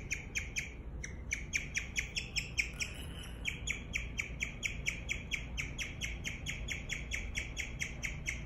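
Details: Guinea pig giving a chirping series: short, high, whistled chirps about twice per second, briefly interrupted near the start, then continuing steadily over a quiet low rumble.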